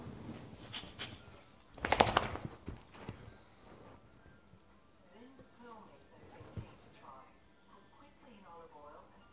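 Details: Lily, a boxer dog, throws a tantrum indoors after dropping her ball. A loud clatter near two seconds gives way to a run of wavering, whiny grumbles rising and falling in pitch, with faint human speech early on.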